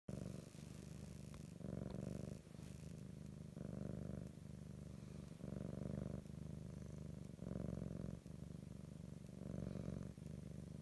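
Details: Grey and white female domestic cat purring very loudly while asleep: a low, rumbling purr swelling on each breath and easing between them, about every two seconds, in a quiet room.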